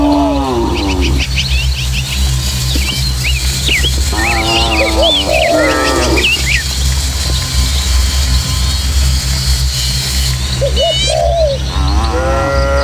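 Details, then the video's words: Dozens of tame village cattle crossing hills and footpaths toward the pen: deep drawn-out moos in three bursts, with busy birdsong twittering high throughout and a constant low droning background. "Suara Sapi"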